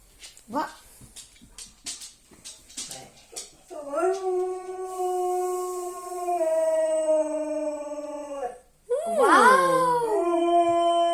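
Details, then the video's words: Siberian Husky howling to wake its owner indoors: scattered clicks and short yelps first, then a long steady tonal howl held about five seconds, a brief break, and a wavering rising-falling howl. "хаски будильник или вставай хозяйка я в печали"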